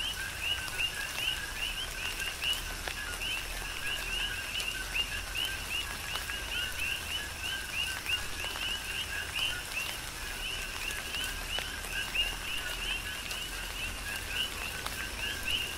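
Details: Chorus of coqui frogs heard through a tropical rain shower on Hawaii's Big Island, countless quick rising high chirps overlapping continuously while rain hisses and individual drops tick nearby.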